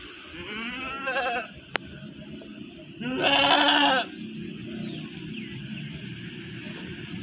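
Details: Female Jawarandu goat at Pakis livestock market on 28 March 2021, the market still quiet: a short quavering bleat, then after a pause a loud, harmonic, wavering bleat lasting about a second over low crowd and market background noise.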